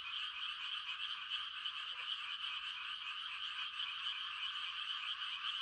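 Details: Frogs giving mating calls on a quiet country night during rice-planting season: a dense, unbroken chorus of high, trilling croaks that merge into a steady shimmering hum, with no other clear sounds.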